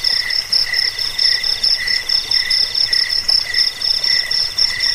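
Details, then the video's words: A short burst of cricket chirping used to deter rats, aid sleep and serve as a master sound for songbirds: bright pulsed trills at two main pitches swelling and fading in quick regular beats. "Suara jangkik pengusir tikus pengantar tidur"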